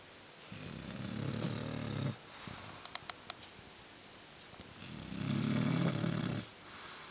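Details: Sleeping bulldog snoring: rumbling, rattling inhalations lasting about a second and a half, roughly every four seconds, with a whistling wheeze and soft clicks between breaths.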